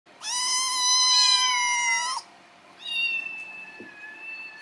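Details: Rescued kitten, taken in during summer 2018, meowing in the morning when hungry: one long loud harmonic meow of about two seconds, then a softer, flatter second meow.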